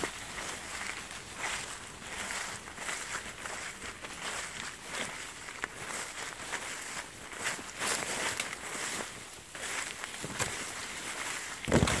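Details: Footsteps crunching and rustling along a rural path, with faint outdoor ambience and no animal calls.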